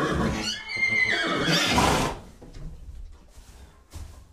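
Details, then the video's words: A single horse whinny in the opening two seconds: a high, quavering neigh dropping into a breathy, rough finish, followed by quiet with faint background knocks. "Sounds of horses. What sounds do horses make?"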